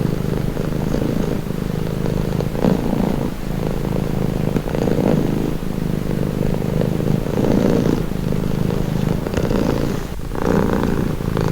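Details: Close-up purring of a house cat, a deep rattling drone pulsing with inhale and exhale cycles about every one to two seconds; a brief higher rustle or shift near the end.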